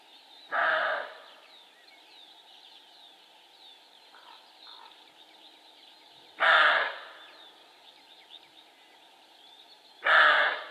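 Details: Barking male roe deer: three loud, coarse barks at uneven gaps of about four to six seconds, each short and dying away, with soft birdsong and a couple of faint notes in between.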